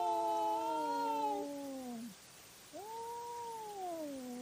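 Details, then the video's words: Cats fighting at night, caught on a trail camera: two long, drawn-out wailing yowls, the first sliding slowly downward for about two seconds. After a short quiet gap comes a second rising-then-falling moan. No other sounds are heard. "Cat Fight at Night & Call Weird Sounds"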